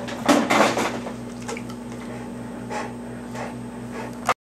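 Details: Clattering of pots and a cupboard over a steady low hum, with no animal voice.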